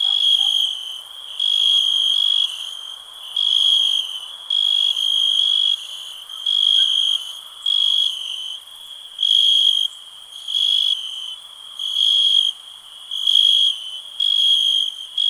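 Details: High, ringing cricket trill in regular bursts, about thirteen in fifteen seconds, each lasting near a second and split by short silences, in otherwise calm surroundings.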